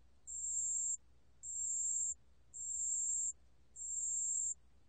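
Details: ['Steady song of a pale bell cricket, from the National Institute of Biological Resources collection, 2020: four sustained, very high-pitched ringing bursts, each lasting about two-thirds of a second, separated by short even pauses.']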